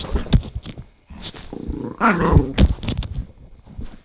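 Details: Pet dog, one of two housemates, the big Norang-i and the small Bori, making strange noises: dense low rumbling grumbles broken into short bursts, with a louder, tonal, moaning stretch near the middle.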